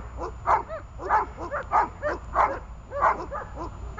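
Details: Runa the dog, in holding-and-barking training, gives rapid forceful barks, close to two a second with little pause, each bark rough and full-toned, above a quiet low hum.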